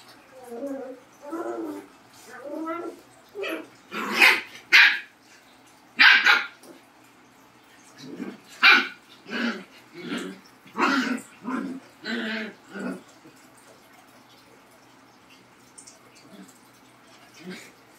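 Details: Labrador and Husky dogs facing off, giving a series of short, harsh barks and yelps in uneven bursts, some with drawn-out, voice-like tones, then falling quiet near the end.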